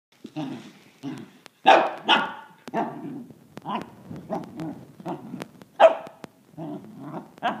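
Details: Gus, a six-month-old Pembroke/Cardigan cross corgi puppy, confronts a drill, unsure whether to attack or play: a run of short, sharp barks mixed with low growls, coming in irregular bursts with brief pauses between them.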